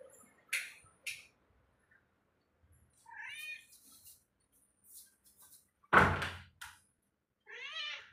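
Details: A house cat wandering indoors meows twice, each a brief rising-falling cry, separated by a sharp thump and scattered clicks and taps from around the room.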